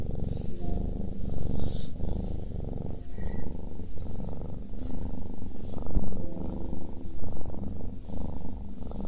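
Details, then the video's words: Domestic cat purring while it eats: a steady low rumbling throb in pulsing waves, broken by brief higher crunchy chewing noises now and then. "超治愈喵咪打呼噜吃东西 | Super healing cat snores and eats"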